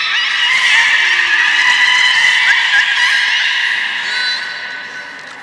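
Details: Captive belugas Gray, Nana and Nico at Port of Nagoya Public Aquarium, Japan, on 1 January 2019, after the 16:00 public training session. A sustained, even, harmonic buzzing tone holds steady, then fades toward the end.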